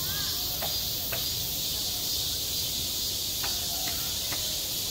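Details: Summer cicadas on a school playground produce a steady shrill whine, joined by a few sharp clicking taps and brief faint chirps against the continuous high drone.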